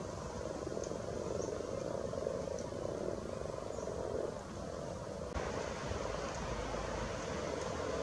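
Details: Frogs spawning at Luolavuori in Turku, heard as a dense, continuous chorus of low purring croaks blending into one steady hum, with a brief knock part way through.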